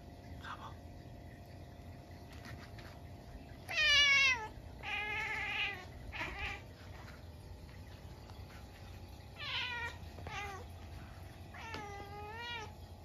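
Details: Munchkin cat indoors at midnight on a snowy day when a stink bug got into the house: a loud insistent meow followed by several more wavering, falling meows, some short and some drawn out, with faint clicks and room hum.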